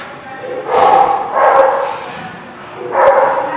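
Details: Dog barking, recorded 13 March 2017: three loud, harsh, echoing barks, each about half a second long, spaced roughly a second apart, with a quieter gap before the last one.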